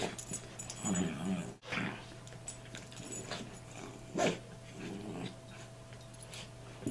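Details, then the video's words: Two Bichon Frise dogs play fighting indoors over control of a toy, the younger one having taken it from the older: scattered short, low growling rumbles and snorts with quiet pauses between, over a steady low electrical hum. "Bichon Frise Dogs Play Fighting"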